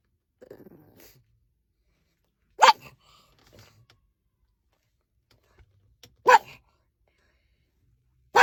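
A pug barks in short, sharp bursts, each a single loud yap separated by pauses of several seconds. A soft, low murmur like distant voice is heard near the start.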